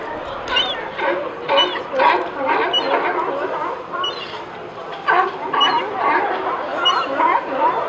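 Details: Crowd of sea lions at Pier 39 barking, with some sneezing reported. Loud harsh barks come in clustered bursts about every second, several animals calling over one another.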